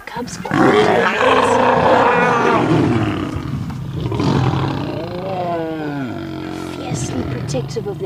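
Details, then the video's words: Male lions clash with the Nkuhuma pride, which has cubs, in a sunrise safari scuffle on August 11; loud ragged roars and snarls run continuously, ending in a rising, grinding growl, with a guide speaking. "Birminghams And Nkuhuma have a ROARING fight"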